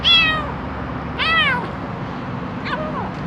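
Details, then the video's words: A hungry kitten making a strange sound: three loud, high, harmonic-rich meows, the first two long and arching, the third shorter and fainter, over a low steady background hum. "Anak kucing lapar keluarkan suara aneh!"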